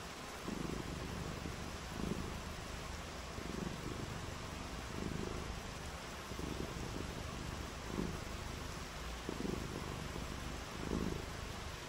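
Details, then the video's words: Domestic cat purring on a rainy day: a low, rumbling purr rising in soft bursts about every one and a half seconds, each swell lasting under a second, over a steady hiss of background noise. "RAINY DAY WITH FUN AND PURRING | CAT VIDEOS"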